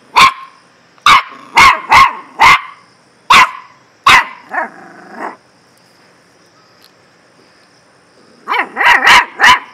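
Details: Dog barking in sharp, loud bursts: six quick barks over four seconds, a short run of softer yelping barks, a pause, then a fast cluster of five or six barks at the end.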